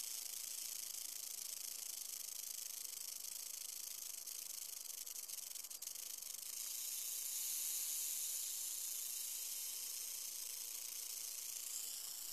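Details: Yearling western diamondback rattlesnake, captive, producing a relentless shrill buzzing rattle. The sound brightens and strengthens after about six seconds, with faint crackles in the first half.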